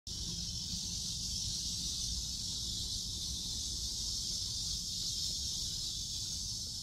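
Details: Cicadas in Seoul Innovation Park on July 11 around 11 am, on a sunny walk: a dense, steady, high buzzing chorus that never breaks, over a faint low rumble of traffic or wind.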